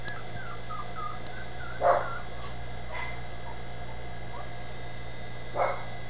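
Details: Dachshund puppies in Campinas, São Paulo, happy in their new little house: faint high whines early on, then two short, louder barks about four seconds apart, above a constant low background hum.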